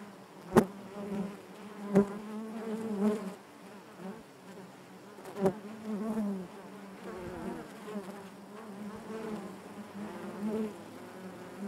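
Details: Honey bee hive interior: a constant low droning hum with rich overtones, punctuated by several sharp knocks early on, then gently pulsing louder and softer.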